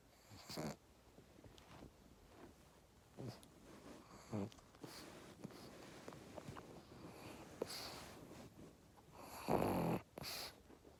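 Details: Bob, a pet pug, asleep indoors and snoring: rough, breathy snorts recur every second or two, some faint and some louder, with a strong wheezing burst near the end in a quiet room.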